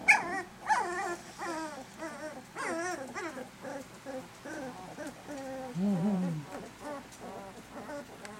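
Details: Litter of eleven 18-day-old puppies, eyes open, well fed and walking around, growling and barking. Rapid high wavering whimpers and yips repeat throughout, with a lower growl-like sound near the middle and faint human voices.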